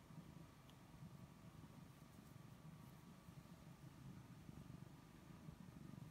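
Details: Snookie the cat purrs under a petting hand, a low, buzzing, rhythmically pulsing drone that holds steady across the whole stretch, with only a faint hum of the room behind.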